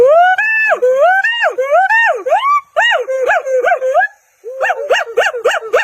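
A monkey gives clear, whining calls that rise and fall, repeated in quick bursts.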